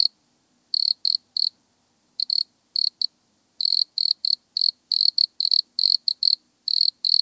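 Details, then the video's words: Wood cricket in Altenberg, Austria, August 2022, producing short high purring bursts, often in twos or threes, with irregular gaps between them; faint low background hum and nothing else. "Nemobius sylvestris -- Waldgrille -- Wood Cricket"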